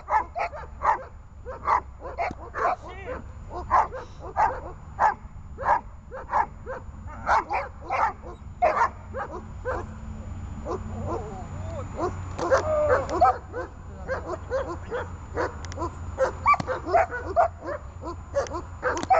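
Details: Dog in guard training, holding and barking: a long, rapid run of sharp, evenly spaced barks, several per second, briefly denser and overlapping in the middle, with faint speech and low background hum.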